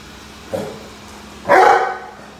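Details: Rhodesian Ridgeback named Roady barking at a vacuum cleaner indoors: a short soft woof, then a louder, harsher bark about a second later, with a steady hum of machine noise behind.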